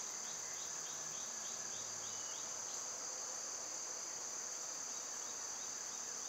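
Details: A constant shrill whine of summer cicadas carries on without a pause, two layered high tones. Soft repeated bird chirps show in the first three seconds beneath the drone.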